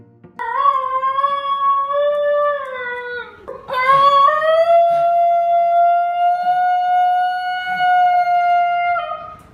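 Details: A Basenji, an ancient breed and the only dog breed that cannot bark, gives its rare high-pitched yodel in place of barking: two long, high, wavering tones, the second rising and held steady, much like alpine yodeling.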